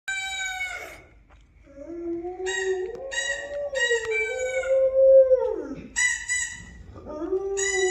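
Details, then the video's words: Pet dog howling along to a recording of her own howling: long wavering tonal howls with rich harmonics, rising and sliding, broken by short gaps, with a second overlapping howl line from the playback. "She Howls At Her Own Howling Vid"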